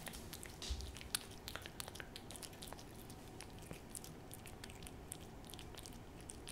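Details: Churu treat being licked up by Hodu the cat: crisp little smacks and licks in uneven clusters, one louder knock early on, over a quiet steady hum.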